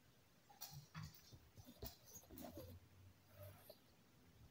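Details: Maltese dog giving its morning greeting and asking to go outside: soft, short whining whimpers and brief nasal yips scattered across a few seconds, quiet and indoors, with faint clicks and low room rumble.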